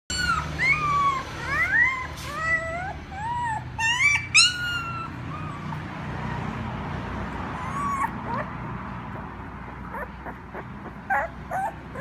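A puppy gives rapid, high-pitched whining yelps that swoop up and down, then fades to soft scuffling.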